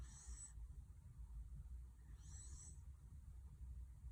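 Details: Young Welsh Corgi that has grown suddenly, asleep and snoring: two faint, thin, whistling wheezes about two and a half seconds apart over a soft, low rumbling breath.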